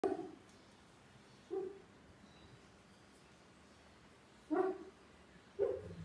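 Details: Male Siberian Husky making sounds in his sleep: short muffled woofs and whimpers in four separate bursts spread over about six seconds, with quiet pauses between them.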